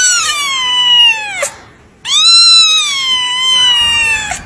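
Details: Kitten meowing at a cattery, two long drawn-out loud meows with a short gap between, each starting high and sliding gradually lower, strongly harmonic and nasal in tone.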